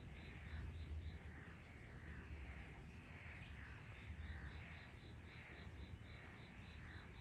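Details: Garden frog chorus at 18:34 on 23 May 2022, a May evening: steady rows of quick pulsed calls and rhythmic croaking blobs repeating throughout, with low rumbling noise like distant traffic beneath.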